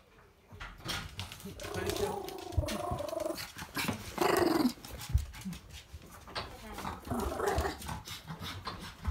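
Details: Chihuahua indoors, angry at having been left behind, complaining as it greets its returning owner: a continuous grumbling, growling vocal stream with rising whiny moans, overlapping a woman speaking Japanese.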